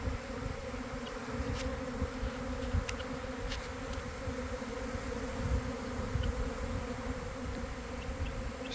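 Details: Swarming honey bees fill the air near a garden hive at about 1 pm following cold, damp days. A continuous layered drone sits over heavy low-frequency rumble, with a few faint ticks above.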